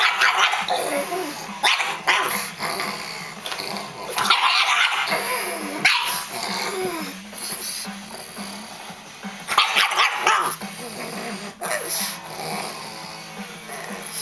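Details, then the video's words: Pug barking and growling at a vacuum cleaner indoors: rapid, irregular bursts of sharp barks mixed with throaty growls, over the machine's broad, steady roar. "pug vs vacuum cleaner"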